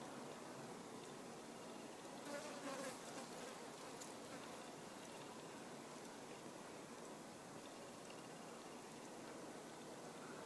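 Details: Buff-tailed bumblebee foraging on rose mallow (Hibiscus) flowers; a soft, steady, low buzzing hum continues throughout, with a brief louder, closer swell around two to three seconds and a faint hiss of background noise.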